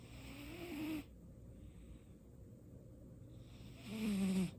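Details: Pet cat Baekho sleeping and snoring for the first time; a raspy snore with a faint whistle fades out, a quiet pause follows, then a louder buzzing snore returns at the end.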